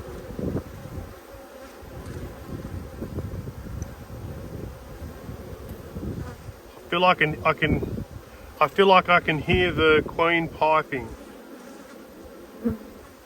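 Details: Honey bees of strong colonies in the Black and White Hives, Australia, during a food dearth, 5 February 2022, during a hive inspection: a steady low, even hum fills the first six seconds, then a person talks over it for several seconds.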